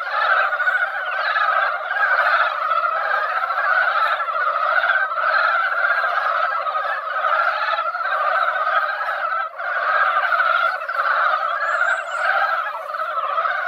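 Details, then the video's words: Mountain frogs gathered in a quiet mountain-valley pond after a light rain that barely wet the ground, singing in their yearly spawning season. A dense, unbroken croaking chorus, with a few faint high chirps near the start and end. "산개구리 노래"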